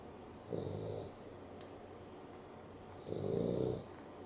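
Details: Dexter the Boston Terrier and Rio the Beagle cross snore during an afternoon nap indoors: two raspy, low breaths about two and a half seconds apart, the second louder, over a steady background hum.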